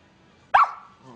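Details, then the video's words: Angry pet Miniature Pinscher named Pepper lets out one loud, abrupt bark with a short trailing tone, followed by a quiet murmur in the room. "Pepper The Angry Min Pin Kills!"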